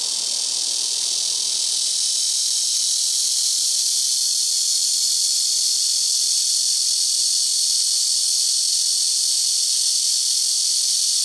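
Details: Blackish cicadas singing from trees on a house rooftop, taking turns among neighbouring trees: a very loud, unbroken high-pitched hiss-like buzz that holds steady and shimmering for the whole stretch, with no other clear sounds.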